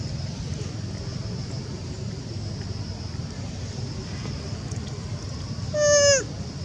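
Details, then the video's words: Young mother monkey on the second day of weeping after losing sight of her baby: one short, loud, harmonic-rich cry that falls in pitch near the end, over steady low background rumble and a constant high whine. "Young mum still weep cos not see baby very terrible sound"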